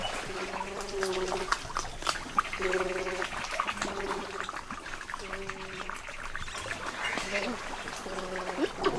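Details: Giant otters (Pteronura brasiliensis), a group in the South American wild, surface all around the listener from the water, giving repeated nasal, harmonic calls.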